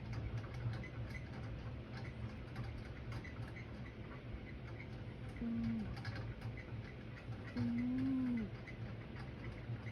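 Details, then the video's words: Pet cat snoring in its sleep at home: a short low whistled note, then a longer, slightly arching one about two seconds later, both soft and tonal, set against steady ceiling fan drone and faint clicks. "My cat snores"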